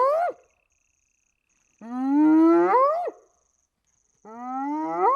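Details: A spotted hyena recorded in Namibia gives long, hollow calls that hold low and then sweep sharply upward.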